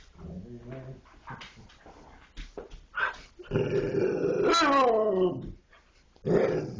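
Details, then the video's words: Dogs 'talking': soft low grunts and scattered noises give way to a sustained, descending, harmonic moan-growl lasting nearly two seconds, then a final short growl. "dogs talking"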